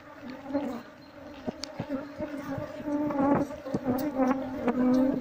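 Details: Honey bee colony nesting behind a wall, disturbed while its comb is slowly scraped away with a knife during a search for the queen; a steady low droning hum with an overtone, broken by sharp clicks and scrapes.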